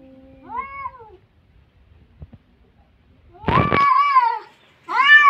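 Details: Two cats squaring off: a short rising-falling meow, a quiet gap, then a loud harsh burst into a sustained yowl and another abrupt cry at the close.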